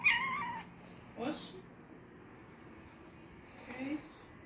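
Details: Pet cat meowing while wanting to drink coke: a loud harmonic meow opens, followed by two short, fainter calls a few seconds apart, with some human voice in the background.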